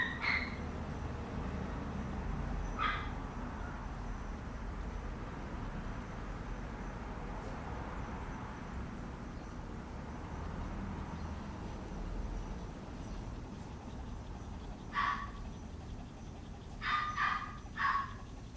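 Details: Papillon puppy giving short, high, sharp yips: one pair near the start, then a cluster of three or four quick yips toward the end, separated by long quiet stretches with a low background murmur.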